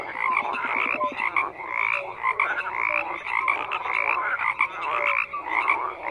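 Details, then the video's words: Many frogs croaking at once, a thick layered chorus of raspy pulsed calls with brief tonal whistles here and there, swelling and easing roughly every second. "FROGS CROAKING"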